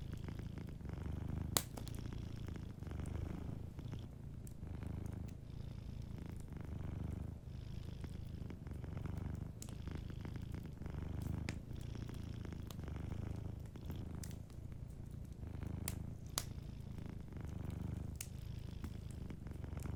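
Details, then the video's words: Gentle, steady purring from a sleeping domestic cat by a cozy fire: deep rhythmic rumble swelling with each breath, roughly every two seconds, while scattered fireplace crackles snap above it. "Warm Fireplace Ambience with a Sleeping Cat 🐱💤Fireplace & Soft Purring"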